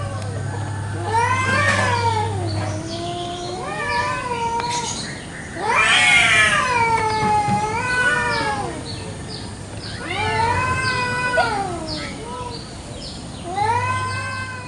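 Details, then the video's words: Indonesian village cats (kucing kampung) locked in a fierce territorial fight in a garden at morning, trading drawn-out, quavering howls that swell and bend in pitch, separated by short pauses, with a steady low hum underneath. "KUCING BERTENGKAR HEBAT BEREBUT WILAYAH"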